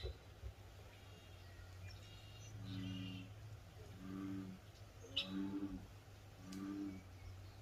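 Elk giving soft, low humming notes, repeated every second or so over a steady rumble.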